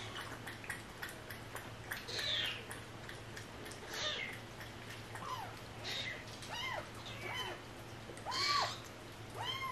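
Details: Repeated meowing from a cat in a rescued stray cat family: about seven short, arched, high-pitched calls, each rising then falling, spaced roughly one to two seconds apart, with soft clicks and a low steady hum behind.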